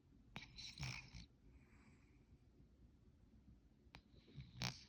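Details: Creepy Pants, a sleeping cat, snoring loudly indoors: two rough, breathy snores with a low rasp, spaced about four seconds apart, separated by soft hiss in a quiet room.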